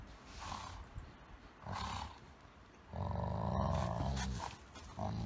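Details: Golden Retriever vocalizing in a friendly play-fight with a smaller Chihuahua–Shih Tzu cross: short throaty grumbles, then a long, loud, rumbling growl lasting over a second, followed by a brief final growl.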